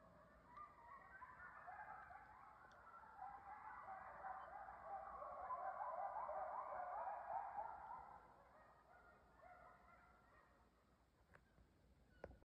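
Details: A nearby coyote pack in northern New York State's Adirondacks, by a beaver pond below a house, gives a chorus of overlapping high yips and wavering howls that swells, then fades.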